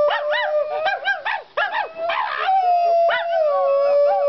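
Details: Pet dog Sheeba howling with a woman: a rapid series of short arching yips over a steady underlying tone, giving way to a smooth, long-held howl.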